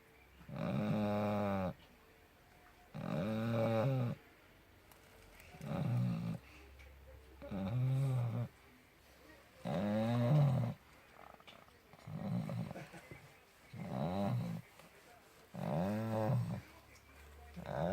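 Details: Loud, interesting snoring from a puppy asleep: eight rhythmic, rough, throaty snores of about a second each, repeating every two seconds or so, with faint room hiss between breaths.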